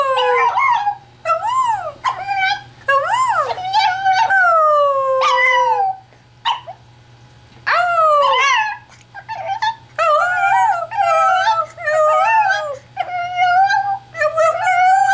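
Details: A Chihuahua, prompted by its owner's howling and vocalising, howls in high, wavering, drawn-out notes that rise and fall, broken by short pauses.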